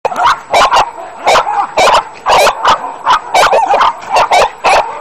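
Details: Dog in a kennel barking loudly and rapidly, sharp repeated barks about two or three per second, sometimes overlapping as several dogs bark together.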